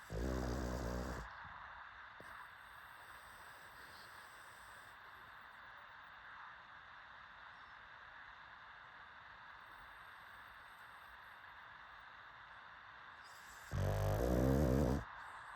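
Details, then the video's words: Pug snoring: a loud, rough, low snore opens and another closes, with a long quiet stretch of steady background hum between them. "PUGS SNORING"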